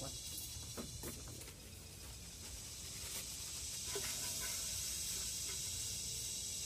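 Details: Kuliglig, the Philippine cicada, in forest, giving a continuous shrill buzz that grows louder toward the end, overlaid with sharp tapping clicks and a low background hum.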